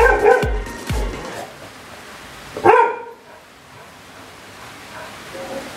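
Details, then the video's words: Labrador Retriever guarding its house and territory from wild monkeys, giving two sharp loud barks in quick succession, then a single bark about two seconds later, followed by quieter background noise. "Dog Guarding House from Wild Monkeys"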